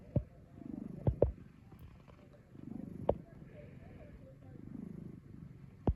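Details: Plump rescued domestic cat snoring while asleep: soft, low, rasping breaths swelling roughly every two seconds, broken by a few sharp clicks.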